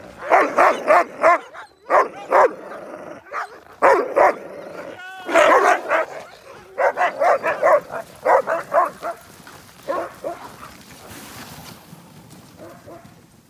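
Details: Sled huskies in Fairbanks, Alaska, waiting before a dog-sledding tour: bursts of excited, sharp barks and yips, several in quick succession, pausing and resuming over about thirteen seconds, with a human voice briefly audible.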